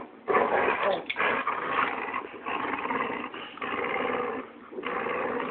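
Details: Labrador and other dogs growling during a rough game of tug of war, a steady harsh snarling rumble that starts abruptly and continues with short dips.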